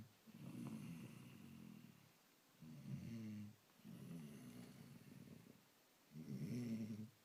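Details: Sleeping lion gives deep, rumbling snores: four drawn-out, rattling breaths in about seven seconds, alternating longer inhalations with shorter rough exhalations, against a quiet background.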